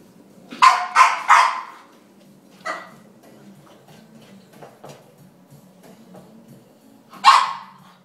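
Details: An angry French Bulldog tussling with a drink shaker barks three quick times, then gives one more bark, then a long quiet stretch with faint low rumbling before a final sharp bark.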